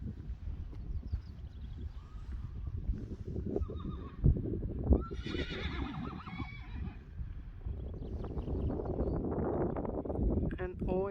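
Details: Friesian horses in a meadow, a young stallion wanting to play like a colt with fillies; a loud whinny rises and falls mid-clip among hoof thuds and rustling, with a second neigh near the end.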